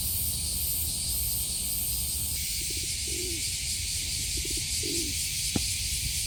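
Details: Summer chorus of cicadas in Tokyo's Kasai Rinkai Park, a steady high shrill hiss, while a dove gives several soft low coos underneath and a single sharp click sounds near the end.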